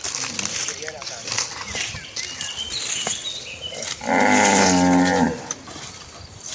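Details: Tame cattle in a herd on their way to graze in green rice fields; after noisy rustling and hiss, a single loud, steady moo lasting about a second rings out near the end.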